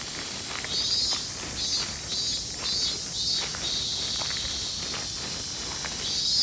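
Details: Robust cicada, known as min min semi, calling in a loud, shrill, high-pitched drone that swells in rhythmic pulses roughly twice a second over a steady insect chorus, with faint scuffing sounds beneath.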